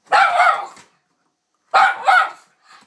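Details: Pet dog barking while wanting cheese, described as its favourite thing: two loud, harsh barks about a second and a half apart, each roughly three quarters of a second long, in a quiet room.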